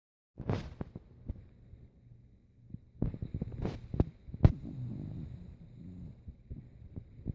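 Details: Rico, an old dog, sleeping and snoring like a saw: low rumbling breaths below a few hundred pitch levels with irregular louder snorts and a few sharp clicks, a steady drone in the second half.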